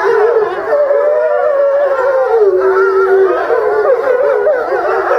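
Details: Several grey wolves howling while lying down at Tama Zoo, Japan, filmed March 2016; long sustained tonal howls that rise and fall in pitch, overlapping voices forming a chorus with wavering upper harmonics.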